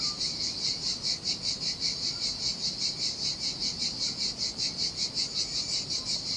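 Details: Sardinia seashore cicadas in the heat: a dense, shrill buzzing chorus throbbing in regular pulses a little over twice a second, with quiet surf splashing faintly in the background of a deserted beach.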